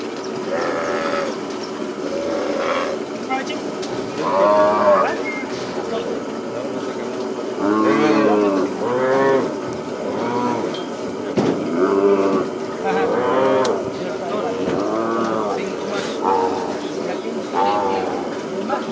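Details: Cattle and calves during branding on a plains ranch: a dense chorus of lowing with many overlapping moos, some long and wavering, louder bursts around five, eight and twelve seconds, and constant herd noise behind.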